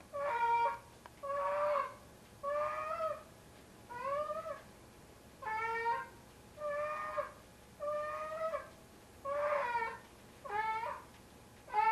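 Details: Domestic tomcat weighing around 25 pounds bringing his pair of socks, his 'kitten', to bed at night. Rapid series of about eleven loud, moaning meows, uneven in spacing, several sliding up then down in pitch.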